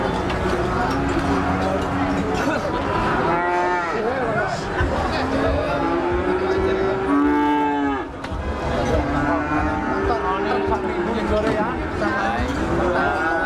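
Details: Limousin cattle, an eight-month-old animal at the Arena Payu cattle market, lowing in drawn-out moos, some rising then falling, over steady crowd chatter and market bustle.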